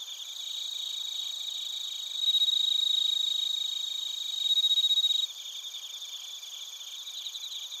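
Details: Recorded in Narita, Japan's Chiba Prefecture, with a TASCAM Portacapture X8, bell crickets and other crickets produce a dense high chorus. Two loud sustained ringing bursts rise out of it, followed by quicker pulsed chirping.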